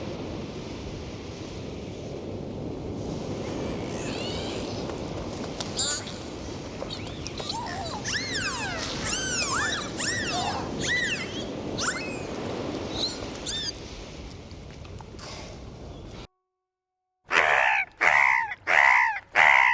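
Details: Sea-dwelling dolphins swimming and playing produce a flurry of looping, arched high whistles over background surf, then after a brief silence four loud, separate whistle bursts follow in a steady row.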